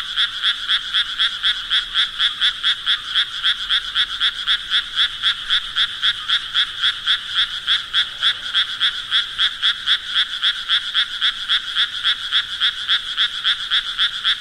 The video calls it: Sounds Of Frogs Croaking Nature Sounds